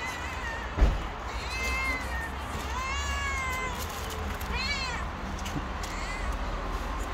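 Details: Hungry stray kittens and their mother on the street: a run of clear rising-then-falling meows, some stacked and overlapping, about five calls in seven seconds, over a constant low background rumble and a brief thump early on.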